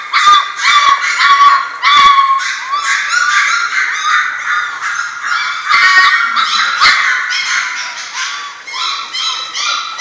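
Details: German Shorthaired Pointer puppies, a litter at six weeks old, producing continuous clamorous yelping and whining from several pups at once, with occasional sharp clicks.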